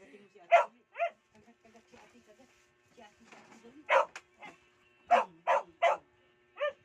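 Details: Aspin dog named Mia barking in short, sharp bursts, some single and some in quick runs of three, with a person's quiet voice talking in the gaps between barks.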